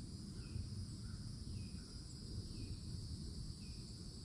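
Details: Summertime cicadas in Florida woods beside an old oak, a piercing, unchanging buzz steady throughout, with a few faint short bird chirps and a heavy low rumble underneath.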